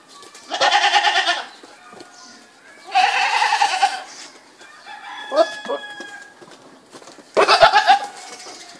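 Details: Goat bleating: three loud, wavering, tremulous bleats, each lasting about a second and spaced a few seconds apart, with softer short calls and faint whistled bird notes in between.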